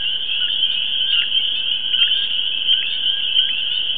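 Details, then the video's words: Frogs at a pond in the New York City suburbs form a dense, continuous, high-pitched trilling chorus, steady throughout, with lower short chirping notes recurring about every half second beneath it. "NY frog chorus"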